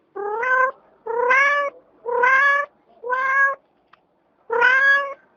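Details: Domestic cat meowing insistently, five loud drawn-out meows with a slightly rising pitch, each about half a second long and coming about once a second, in a quiet setting.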